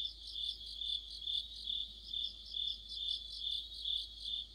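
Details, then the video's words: Autumn insect chorus led by crickets near a streetlight: shrill high chirps repeating roughly twice per second, with a fainter higher trill layered above in rhythmic pulses throughout the short stretch. "가을의 한 복판 곤충들의 합창"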